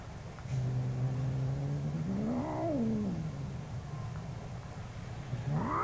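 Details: One of two angry cats: a low growling moan that wavers up and falls back, then begins to rise again at the end, over a noisy, rumbling background.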